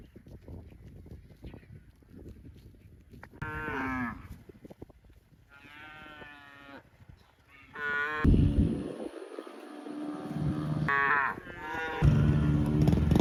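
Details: Cows mooing in a mixed recording: several deep, drawn-out harmonic moos, each about half a second to a second long, broken by bursts of loud rumbling background noise.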